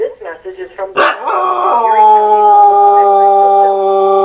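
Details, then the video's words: Dog howling at an answering machine: after brief speech-like sounds, a long sustained, steady howl rises and then holds a level tone for several seconds. "Funny Dog howls at answering machine"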